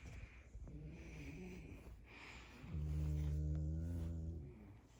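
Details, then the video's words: French Bulldog tickled while sleeping, indoors: a low, steady harmonic grumble rising in at mid-clip and held for about two seconds, after softer snuffling breaths. "자고있는강아지 간지럽히깈ㅋㅋ"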